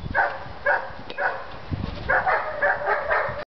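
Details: German Shepherd during beginner bite work training at Florida Dog Academy, barking in quick, rough, repeated bursts, some doubled, about two per second, with handling noise in the background.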